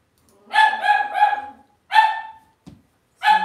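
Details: Indoors in a home-raised litter's pen, Cavalier King Charles Spaniel puppies let out a string of clear, high, tonal yelps: three drawn-out cries in a row, a pause, another, a soft thump, then one more yelp.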